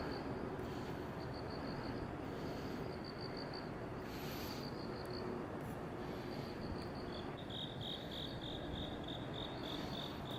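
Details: Crickets chirp at night beside a road in South Korea, September 2019: high pulsed trills in quick bursts, a second, slightly lower voice taking over near the end with rapid even pulses, all over a steady rumble of passing traffic.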